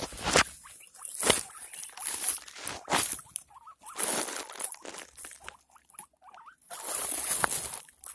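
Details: Pet guinea pig giving birth to six pups, with short, thin squeaks rising and falling near the middle and again later, partly buried under loud rustling bursts and handling noise.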